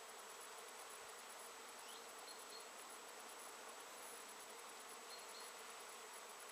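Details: A mass of bees feeding on Japanese knotweed, a late-season nectar plant, 14 September 2013; unbroken, even buzzing of a crowd of insects, joined by a couple of faint high short whistles.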